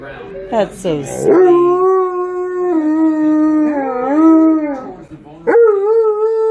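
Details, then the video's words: An Alaskan Malamute howls along while watching videos of other dogs; after a short yelp, long sustained tonal howls waver and slide, and a final howl rises sharply and holds steady. "Malamute Watches YouTube Dogs"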